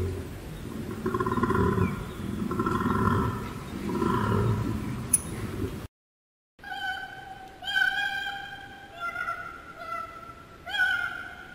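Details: A koala gives deep, rasping, snore-like bellows in rhythmic bursts, followed by higher, strained tonal cries.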